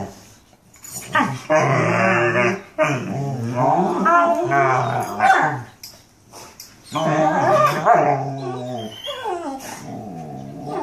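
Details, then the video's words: Mastiffs talking: long, warbling, moaning vocalizations with wavering pitch and rough growly undertones, in several sustained bouts broken by brief silences. "Mastiffs talking"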